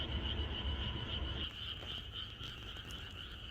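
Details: Chorus of frogs in the countryside on the night before rain, a dense steady high trill running throughout over low rapid pulsing croaks, with a faint low rumble underneath.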